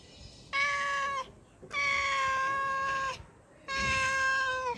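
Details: Pregnant cat, hungry, meowing for fish: three long, loud, steady meows with rich harmonics, each about a second long and slightly falling at the end, separated by short pauses.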